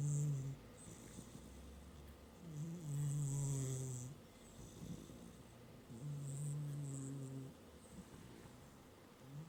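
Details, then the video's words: Pet cat asleep on a work desk, snoring steadily: low, buzzing rumbles alternate with soft hissing breaths, repeating about every three seconds in an even rhythm. "Snoring Cat"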